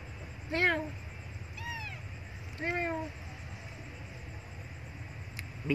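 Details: Loud, hungry crying from a female kitten that was abandoned and wants milk: three short, clear meows in quick succession, each arching then falling in pitch, over a low steady hum.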